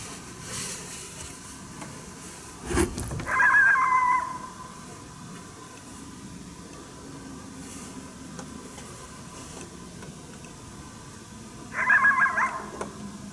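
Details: Coyote, unseen, barking during a coyote hunt at St-Andrews on 1 March 2019, unhappy at a person's presence: two short harsh, harmonic bark-howls about eight seconds apart over quiet background hiss.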